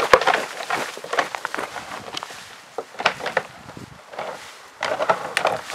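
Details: Two Alaskan bull moose, each with 65-inch antlers, fighting; sharp woody clacks and rattles of clashing antlers come in bursts, pausing near the middle, with faint human voices in the background.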